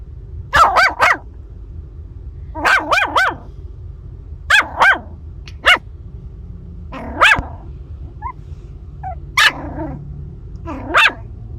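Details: Seven-week-old female Maltese puppy, met on a car camping trip to Arizona, yapping in high, sharp barks, mostly in quick clusters of two or three, about eight bursts over eleven seconds, over a steady low hum.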